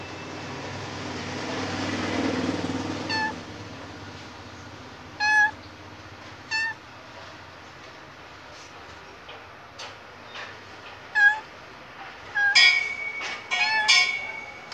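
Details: Khao Manee cat close to giving birth, restless and meowing repeatedly: short clipped mews every one to two seconds, then a longer, louder drawn-out meow, over a faint background rumble.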